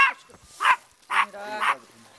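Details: Small cute white-haired dog wearing a pretty skirt in Jeonju, North Jeolla Province, Korea, barking warily; the dog is timid. Four short sharp barks spaced about half a second apart, with faint voices between.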